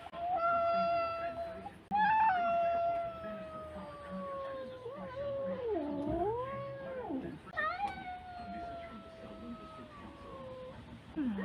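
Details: Cat giving long drawn-out wailing meows, steady then slowly falling in pitch, with a wavering dip in the middle, held for several seconds each.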